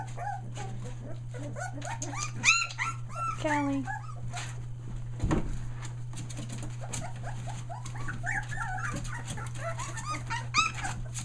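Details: Australian Shepherd puppies one day short of three weeks old, near Mooresville NC, several merle pups among them, giving high arched whimpers and squeals in overlapping bursts, with a person's voice and a steady low electrical hum.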